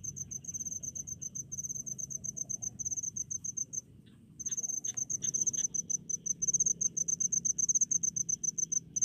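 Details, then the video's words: Cricket in rice fields in a countryside setting, chirping in rapid high-pitched pulsed bursts, short trains repeated steadily with a brief pause near four seconds; faint lower chirps from another caller mid-clip and a low background rumble. "SUARA JANGKRIK DI PESAWAHAN"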